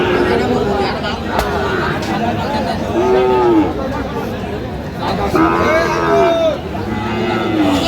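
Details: Several short, arching moos from Sahiwal bull calves at a Munshiganj cattle market in Bangladesh on 9/8/25 come every second or two, some overlapping, with steady talk and bargaining voices throughout.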